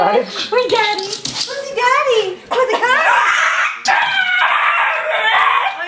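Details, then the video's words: A four-year-old Border Terrier and Boston Terrier cross dog howls excitedly indoors after being told it is going to the cottage; wavering rising and falling yowls with harmonics, mixed with people talking and laughing. "Singing Dog"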